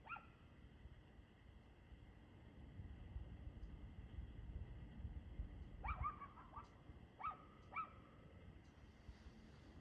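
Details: Distant dog barking at 6:02 pm, 2/6/2024: one bark at the start, a long pause filled with low rumbling noise, then a series of four or five sharp barks spaced about half a second apart.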